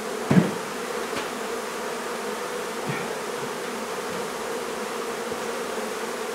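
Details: Buzzing of a honey bee colony as its hive is taken out of a barn in La Feria, Texas, for relocation; continuous low droning mass of bees, a sharp knock at the start and faint thumps later.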